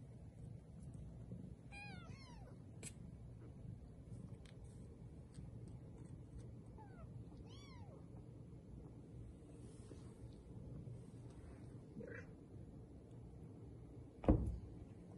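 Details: Three-week-old Bengal kittens, born 13 March 2020, playing and exploring indoors at a registered cattery in Kalama, Washington; high, thin mews arching downward, several in quick clusters near the start and again midway, over low steady room hum.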